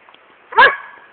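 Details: A Belgian Malinois in Kenitra, trained by its 16-year-old owner and furious when ordered to attack, gives one sharp, loud bark that rises and fades within a fraction of a second.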